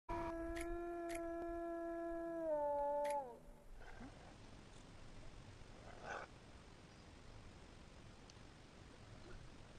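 A wolf gives one long, steady howl that sags slightly in pitch before fading out.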